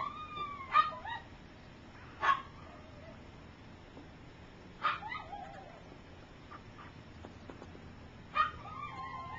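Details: Three-week-old puppies of Gypsy's litter learning to walk: sharp yelps roughly every two seconds, each followed by high sliding whimpers and soft whines, with faint scratching between calls.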